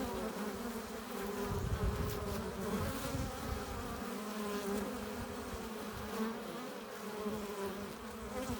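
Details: Busy hive entrance where honey bees enter laden with pollen and nectar; an unbroken low buzzing drone with shimmering overtones and occasional nearer bees briefly rising above the swarm's hum.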